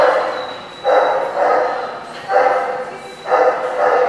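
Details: Dog barking, recorded 11/16/15: four loud, full-bodied barks, each lasting almost a second, repeated at roughly one-second intervals over a faint background hiss.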